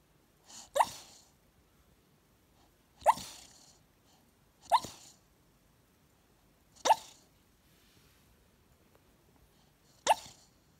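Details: A sleeping Staffordshire Bull Terrier puppy on a couch, dreaming with eyes half open, gives five short, breathy, half-swallowed woofs, spaced unevenly a few seconds apart; the room is quiet between them.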